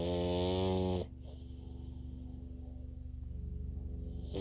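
A sleeping French Bulldog snores with low, rough, rattling breaths after a brief loud tonal sound.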